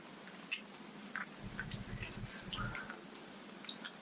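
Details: Goldfish smacking while eating: a scatter of small, sharp clicks and soft pops spread irregularly across four seconds, over a low rumbling background.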